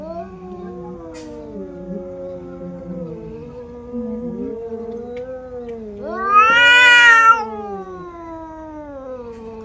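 Two female domestic cats yowl in a drawn-out fight, low wavering moans rising into a harsh, loud wail.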